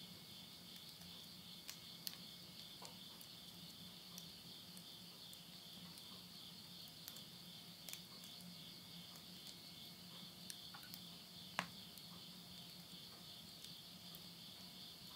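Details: Midnight insects in the Japanese countryside of Tottori, September 2020, late summer, next to a bonfire stove: an unbroken high-pitched chirring chorus, overlaid by frequent sharp pops and snaps of burning wood and a low steady hum.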